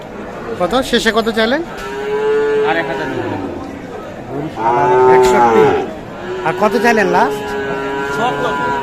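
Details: Cattle at Kaharol market, Dinajpur, Bangladesh, sold as in-demand Sahiwal bull calves on a rainy 13 July 2024. Several deep, drawn-out lowing moos follow one another, some with stuttering pulsed onsets, and faint market voices run beneath.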